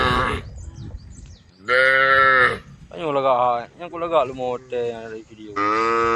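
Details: Group of tame female cows calling toward an angry herd, giving long, steady, full-throated moos, each lasting about a second, in a close run of five or six calls with brief pauses.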